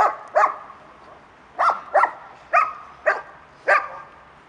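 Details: A female German Shepherd doing defence training barks sharply at a decoy who has swung at her, giving deep, rough barks in quick pairs.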